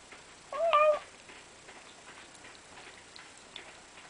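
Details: Pet cat Hana gives a single short, rising-then-falling meow while eating her food with 'umauma' noises, followed by quiet faint clicking and ticking sounds.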